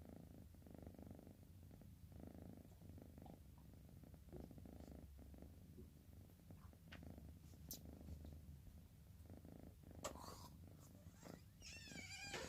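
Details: Orange cat Bocil, drowsy, gives soft rasping snore breaths in the first half, fading later; a few brief high chirping sounds appear near the end.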